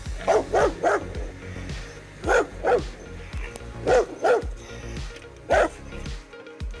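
A Rottweiler barks in deep, forceful bursts, usually two in quick succession, with pauses of about a second between groups. Soft music plays quietly underneath.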